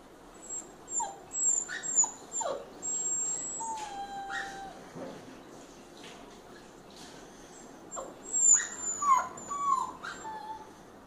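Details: A male Rottweiler puppy gives a string of thin, high-pitched whines, some sliding up and down, with short breaks between bursts, pleading to be released.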